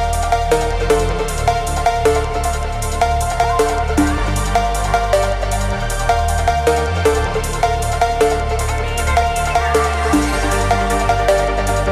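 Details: Loud electronic dance music with a heavy bass line and driving drums fills the whole stretch, with no animal voice audible.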